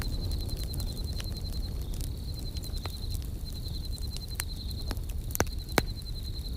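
A cricket trills steadily and high-pitched over the crackle and pop of a campfire.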